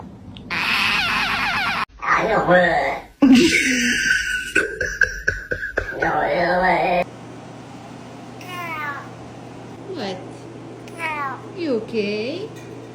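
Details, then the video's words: Domestic cat making weird sounds: a run of wavering, warbling vocalizations mixed with human speech, then short downward-sweeping meows repeated every second or two over a steady background hum. "Cats Making Weird Sounds!"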